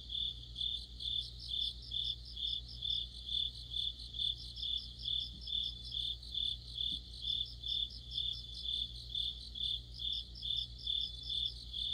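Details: Deep-autumn night chorus of crickets and companion insects: piercing high trills pulsing rhythmically about twice a second, with several overlapping callers at slightly different pitches and a steady low hum in the background.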